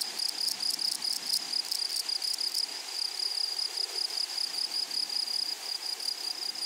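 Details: Grasshoppers in a flowery meadow: loud rasping pulses in quick succession for about two and a half seconds, then only a smooth, unbroken high whine with a faint overtone continues.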